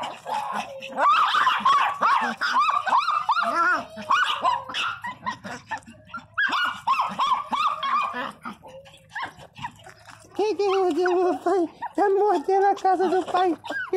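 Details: Pinscher Teco and other pet dogs crying and squabbling out of jealousy: rapid, uneven yelps and wavering whines, some harmonic and sliding, interrupted by short gaps, with a woman's voice calling for no fighting.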